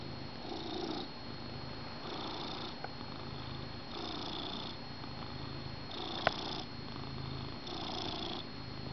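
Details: Male house cat settled on a couch with his blanket in the morning next to his owner; continuous soft rumbling purr rising and falling in breath-paced waves roughly every two seconds, one brief sharp click midway, calm small room.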